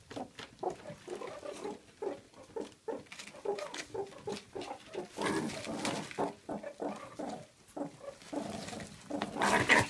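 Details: An adult male meerkat in a mob of ten, usually gentle but food-aggressive, makes rapid, harsh, grunting chirps over and over while guarding his mealworms, even from his father.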